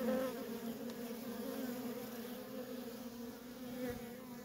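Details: Constant hum of worker honey bees streaming in and out of a feral colony, a thick low buzz with a bright overtone, loudest at the start and then holding steady.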